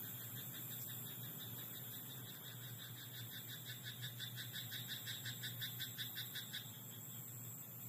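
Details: Frog croaking in a rice paddy at night: after a quieter start, rapid pulsed croaks run in a fast even train from about two and a half to six and a half seconds, over a steady high whine and a low hum.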